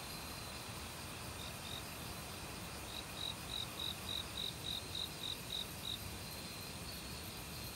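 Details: Autumn cricket in a forest near a stream, among various other insects: a long, even series of about eleven crisp, high chirps, roughly three per second, set over a constant soft rush of water.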